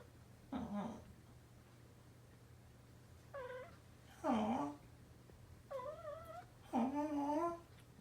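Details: Indoor exchange of meows between a male orange tabby house cat, once a rescued cat-cafe kitten, and an owner copying every call; five separate short meows, some higher and wavering, others lower and rising, spaced by quiet gaps.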